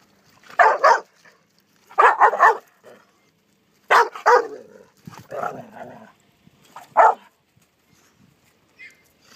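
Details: Pit bulls, American Pit Bull Terriers, attempting to mate as the female becomes angry; loud sharp barks and yips in doubled bursts about every two seconds, separated by near silence.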